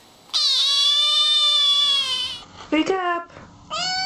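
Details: Kittens meowing and talking: one long, drawn-out meow of about two seconds, dipping then holding steady, followed by short broken chirping meow fragments and another meow starting at the end.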